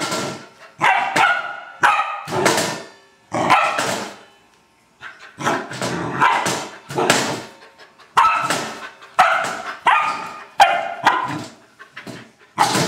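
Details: An Old English Sheepdog at play with a trash can barks repeatedly in loud, rough bursts, often in quick doubles, with brief pauses between clusters throughout.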